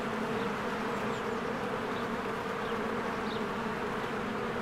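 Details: Springtime honeybees streaming in and out of the hive, a dense even drone of countless wingbeats, joined by a few short faint bird chirps.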